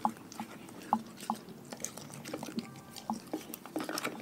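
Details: One of a pack of dogs works through its raw meal with rhythmic bites, roughly one crunch per second, mixed with wet licking and smacking noises.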